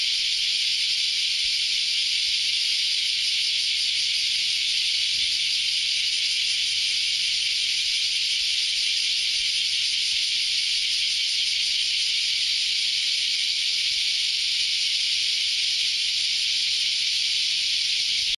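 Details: Massed cicadas buzzing together early on a Saturday morning, forming an unbroken, even, high sizzling drone that never varies in loudness over eighteen seconds, with nothing else distinct heard.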